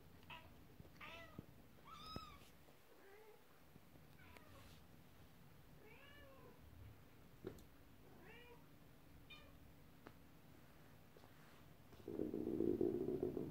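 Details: Domestic cats indoors, kittens playing with their first toy, a horse-drawn carriage, while the mother cat is upset; a run of high, arched meows about every second, then a loud low rumbling burst near the end.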